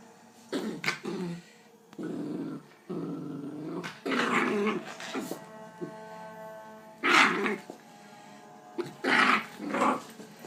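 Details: A Bull Terrier puppy in a new harness gives rough, playful growls broken by a couple of sharp, high yelping barks.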